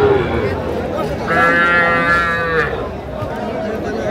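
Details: Calf at a Comilla cattle market, Bangladesh, on 14 February 2025, where small bull calves are bought: a single steady, nasal moo of over a second, with even harmonics, rising from background crowd murmur.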